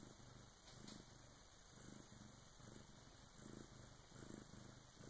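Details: Bengal cat in labour with her first kitten at about 3 in the morning, helped by her big sister, purring continuously: deep buzzing pulses rising and falling a little more than once a second.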